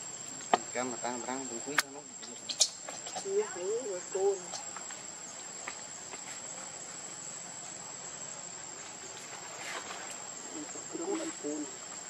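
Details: Baby monkey Lucie, refused milk by her mother, cries in rippling, wavering squeals in the first five seconds, then a few softer whimpers near the end over a constant high buzzing hiss.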